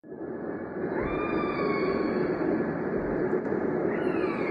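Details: Killer whale underwater: thin, drawn-out whistled tones with faint upper harmonics, some gently rising and then leveling, held over a steady rushing background hiss.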